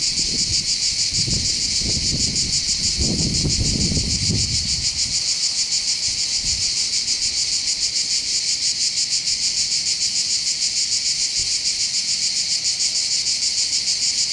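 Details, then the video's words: Massed cicadas on the hillside above the harbour of Bandol, Var, southern France by the Mediterranean: a long, even, high buzzing drone with a fast regular pulse, a low gusty rumble in the first seconds, then only the insects. "accompagné par le champ des cigales"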